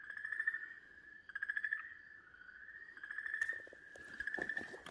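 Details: On 4 March 2023, an Okinawa green tree frog seized by a Garasu-hibaa snake gives a long, steady, nasal, loudly echoing distress scream while other frogs gather.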